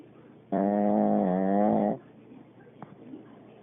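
A Pekingese gives a single drawn-out, nasal snore lasting about a second and a half.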